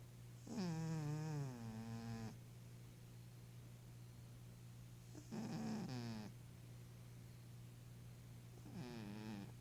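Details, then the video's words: Snoring from a sleeping, dreaming 11-year-old female Maine Coon cat: long wheezy breaths with a squeaky tone gliding down, repeating roughly every four seconds, loud against a low background hum. "Maine Coon Snoring and Dreaming"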